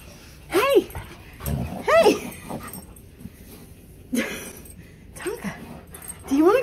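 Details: Alaskan Malamute in a house, whining impatiently when its owner does not figure out what it wants: several short arched whines, rising then falling, spaced a second or more apart, between thumps and scuffling of paws.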